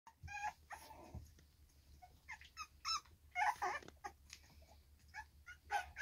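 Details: Three-week-old Staffordshire Bull Terrier (Canis familiaris) puppies from a litter give high, thin whimpers and squeaky yips in short bursts.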